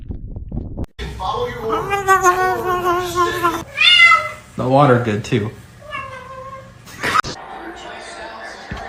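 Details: Domestic cat meowing indoors: a series of drawn-out, wavering meows, some rising and falling in pitch, repeated over several seconds, with short pauses between calls and a brief sharp knock near the end.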